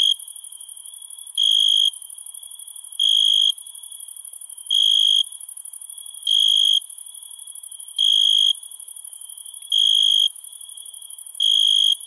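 Crickets at night: a steady shrill hum with a louder cricket's trill bursting out every couple of seconds.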